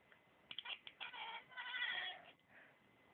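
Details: Pet cat named Misty making funny sounds: a quick run of short clipped chirps, like morse code, followed by a longer drawn-out cry that fades away. The recording is quiet.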